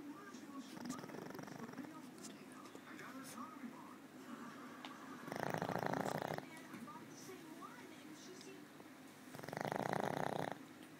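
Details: An old female pug sleeping indoors, a habit she keeps most of the day: two long, rough, buzzing snores, each lasting about a second, about four seconds apart, with a quiet steady hum in between.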